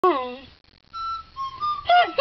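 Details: A Weimaraner "sings" along to music, howling in a falling, mournful tone, then yowling again over a steady, flute-like musical note.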